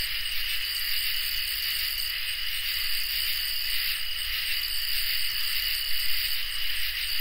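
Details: Crickets and katydids in a summer night chorus, a dense continuous shrill wall of high trilling on several steady pitch bands, with no pauses and a faint low rumble underneath.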